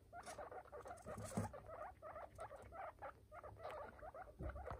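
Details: Baby guinea pigs make soft, rapid squeaks in quick irregular runs over a low background hum, with occasional clicks and rustles.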